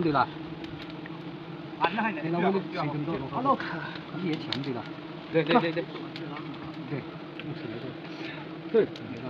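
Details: Honey bees at a hive being harvested the traditional way in Nagaland, a steady low droning hum running under the whole stretch while people talk in short bursts over it.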